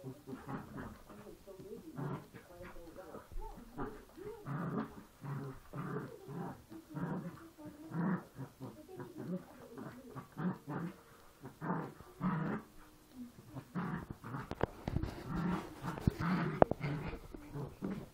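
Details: Poochon puppies play fighting: a steady series of low, throaty growls in short pulses, rising into rougher snarls near the end, with scuffling noises and some faint voices in the background.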